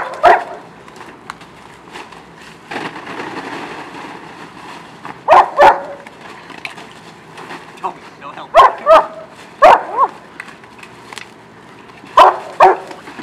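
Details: A pack of German Shepherds playing in a kiddie pool filled with ice, giving short sharp barks at irregular intervals, with people talking and scolding a dog in between.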